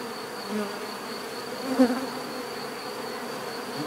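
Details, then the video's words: A soft, low bee hum runs throughout, with a brief louder buzz as one insect passes near midway, against a faint steady high tone. "bees therapy relaxing natural buzzing sound"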